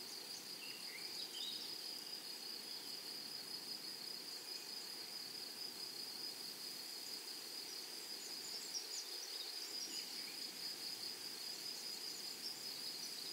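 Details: Meadow grasshoppers keep up a continuous high-pitched hiss, steady throughout. A few faint, brief chirps of other creatures appear early on, against soft background noise.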